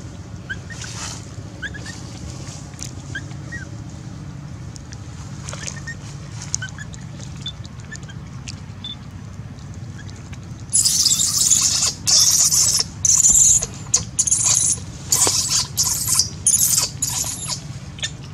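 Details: Baby monkey on a branch being mistreated by a big female monkey: after a long stretch of low rumbling background, loud harsh high-pitched screams burst out in quick irregular runs of short cries.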